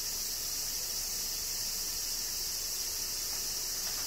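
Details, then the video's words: Summer rain in Kyoto, Japan, with a cicada chorus: a continuous shrill hiss-like buzz at constant loudness, no pauses or changes in rhythm over a few seconds. "Cicadas Summer Rain - Zen Sounds of Kyoto, Japan"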